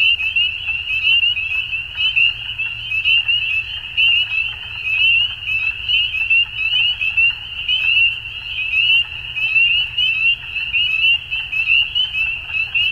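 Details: Dusk frog chorus: high, buzzy trilling from numerous callers, pulses stacking into a constant ringing tone that gently swells and fades every second or so.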